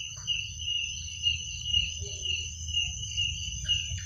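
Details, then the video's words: Night-time crickets keep up a continuous shrill trill with a fainter higher band, gently wavering in volume, while a low hum runs underneath and a brief faint call slips in near the end. "Suara jangkrik pada malam hari"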